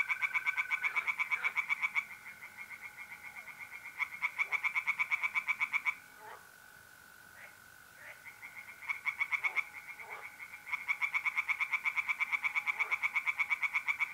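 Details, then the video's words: Tree frogs singing in a pond on a mid-April night in north-east Italy: several bursts of rapid, rasping pulses, broken by short pauses, over the steady high trill of mole crickets. "singing tree frogs in pond and trilling mole crickets by night"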